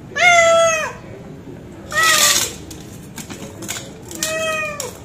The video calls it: Hungry Cat Meowing